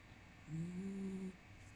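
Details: Sleeping black dog giving a single soft snore, a thin steady whistling tone held for nearly a second over quiet room hum.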